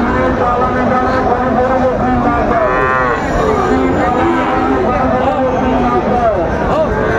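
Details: At the Monday Raniganj livestock market near Chattogram, Bangladesh, 9 September 2024, a Sahiwal bull calf gives a short rising moo midway, over loud market hubbub and nearby men talking.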